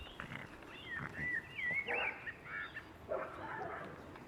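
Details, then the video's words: Boston Terrier puppies at six weeks old giving high, wavering squeals and whimpers that slide up and down in pitch, several overlapping in a busy cluster before trailing off into softer whines. "boston puppies 6 weeks"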